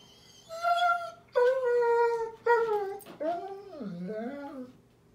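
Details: Bedtime crying from Daisy, a German Shepherd puppy, 15 May 2021: three long, steady, high whines, then a wavering whine that dips and rises, all indoors.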